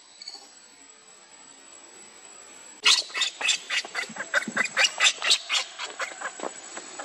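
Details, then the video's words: Baby monkey Lucie begging its mother for milk and being refused: after a quiet start, a sudden run of sharp, shrill, broken cries, repeated rapidly about twice a second. "Lucie Beg Mom's Milk But Mom Reject Hardly I Lovely Baby Monkey"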